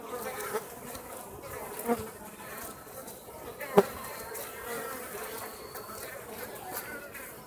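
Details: Buzzing of Japanese honey bees at Osaka Castle, Japan, flying out to forage on a warm late-autumn day while the colony prepares for winter; a soft steady hum with a few brief louder knocks.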